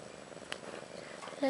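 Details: Purring from Ashley, a young house cat roughly one year old, lying with her two newborn daughters Maggie and Rose, born March 30th 2013; a soft, even rumble, a brief click midway and a short voice at the end.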